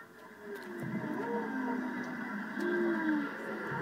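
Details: Whales heard underwater off Maui with a calf nearby: smooth, drawn-out tonal moans and short gliding whistles, some rising then falling, over a steady ocean hiss.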